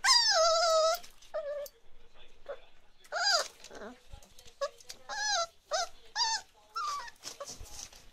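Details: Several 34-day-old chocolate Labrador Retriever puppies of Ruby's litter cry indoors, opening with a long wavering whine, then short arched yelps and squeals repeated roughly every half second, separated by quiet gaps and faint rustling.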